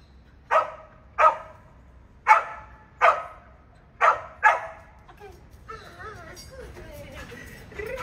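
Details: Border Collie in search and rescue training gives six sharp, punchy barks in the first four and a half seconds, then falls quiet while a person talks over faint background noise.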